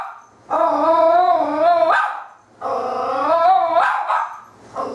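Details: Scared female puppy in a shop hallway, barking nonstop at a fake cat toy: two sustained, wavering bark-howls, each over a second long and finishing with a harsh upward break.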